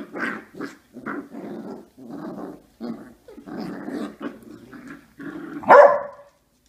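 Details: Puppies fighting, producing a series of short gruff growls in pulses about half a second long with brief pauses between them, ending in one loud sharp bark.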